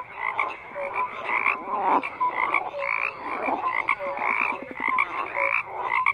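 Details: Many frogs croaking together in a dense chorus, overlapping rough pulsed croaks and short tonal notes layered in mid and high pitches, steady and unbroken throughout.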